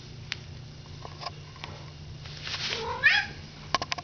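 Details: Pet cat meowing: after soft rustles and clicks, one drawn-out harmonic meow rises then wavers near the end, followed by sharp clicks, while a woman talks to it between calls.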